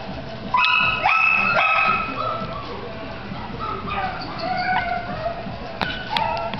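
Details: Chihuahua giving high-pitched yips in quick clusters with short upward-sweeping squeals between them, while faint human speech runs underneath and the calls thin out toward the end.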